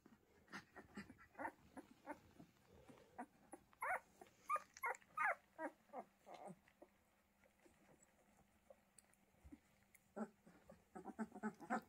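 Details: Pyrenean Mountain Dog puppies at the Ehrenberger Hof make a busy run of short squeaks, whimpers and little yips, clustered and irregular, with a louder burst of squeals midway and a faint low hum underneath.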